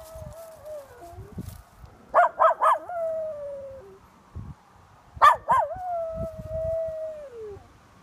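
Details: Miniature schnauzer howling at an ambulance driving by: long wavering mid-pitched howls with short yelping bursts, two howling phrases sliding downward at their ends, with faint background noise.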